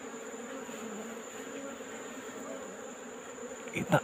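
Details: Wild Apis cerana colony disturbed in a hole in rock during afternoon collection: steady, humming drone of the bees, ending in a loud scraping and rustling burst.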